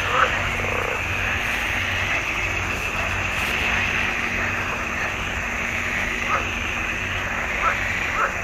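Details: Swamp pond frogs in June 2021 sing as a dense, even, high-pitched chorus, with a few louder croaks breaking through in the second half.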